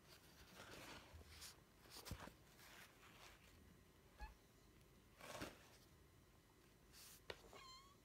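A Devon Rex cat calls for attention with a short, bright meow that rises and falls near the end. Most of the stretch before it is filled with soft rustles, taps and handling noises indoors.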